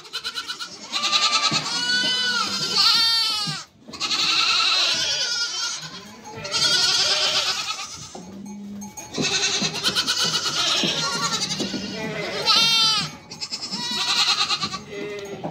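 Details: Goats, a mother and her young kids, give a long run of loud, trembling bleats. Each cry lasts one to two seconds, with brief silences between, and a few deeper, shorter calls are mixed in.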